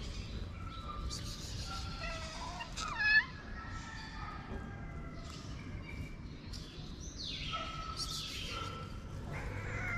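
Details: Stray cat on a Moroccan street approaching its feeder with meows while swatting at other cats nearby; several thin, wavering meows early on, one louder cry around the third second, more faint mews later over low street noise.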